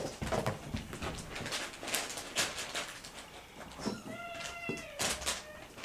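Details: Kittens 48 days old, Noa's litter, play-fighting on a couch as they try out hunting and fighting tactics on each other; one short, clear tonal meow rises out of soft thumps and scuffling.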